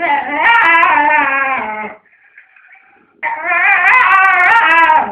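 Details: Indoor squabble between two pet dogs over a chew; intense wavering high whine-howl lasting two seconds, a brief quiet gap, then another loud trembling howl.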